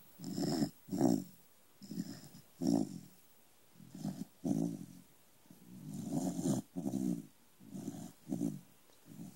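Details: Low, gravelly snoring from a small corgi asleep indoors: repeated rough breaths in uneven pulses, a longer drawn-out snore near the middle, quiet gaps between.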